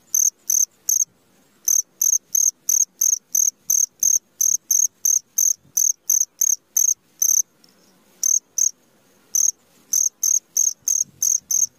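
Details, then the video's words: Cricket at midnight giving long runs of piercing high chirps, about three each second, interrupted by short silences near one, eight and nine seconds; faint soft low-pitched noise underneath. "SUARA JANGKRIK TENGAH MALAM"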